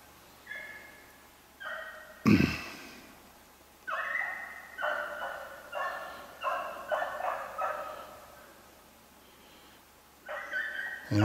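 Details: Beagles on a snowshoe hare hunt, 8 March 2016, give drawn-out, harmonic bays in a broken series of about eight calls, with a sharp thump partway through and another at the end.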